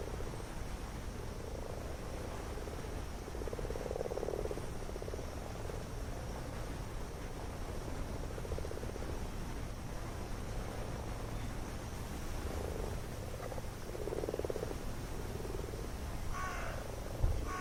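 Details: Common frogs gathered en masse for spawning in a garden wildlife pond, many males piggybacking on females, filmed by a Panasonic action cam placed among them; low, soft purring croaks in overlapping bursts around four, eight and fourteen seconds over steady background hiss.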